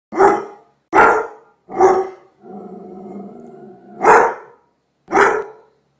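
A Doberman Pinscher barks in loud, abrupt bursts about a second apart. Midway, a steady, low, throaty growl runs for over a second before the barking resumes.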